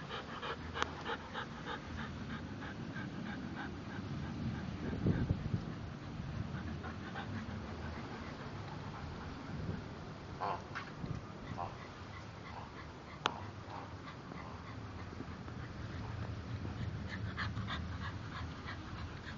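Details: Two English Bulldogs, Spike and Molly, playing together and biting their owner; low snorting and panting grunts run throughout with a few short sharper yips and clicks scattered across the recording.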